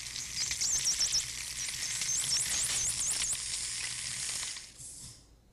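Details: A group of bottlenose dolphins, recorded near Miami, give dense, rapid clicking overlaid with high, wavering whistles that swoop up and down.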